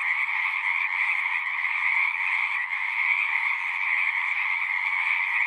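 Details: Natural recording of frogs singing together, a thick steady chorus of overlapping trills with a faint low hum early on.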